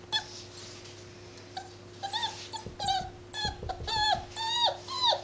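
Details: Labrador Retriever puppy, seven weeks old, playing: faint breathy sounds at first, then a run of short high whimpers that dip at the end, coming about twice a second, with low thumps and a steady background hum.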